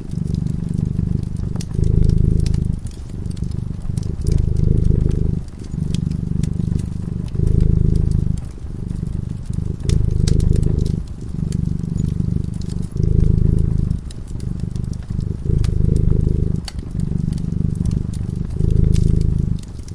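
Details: Dozing by a cozy fireside, a cat keeps up a low rhythmic purr, each rumbling phase lasting one to two seconds before a brief breath gap, while the fire crackles and snaps lightly throughout.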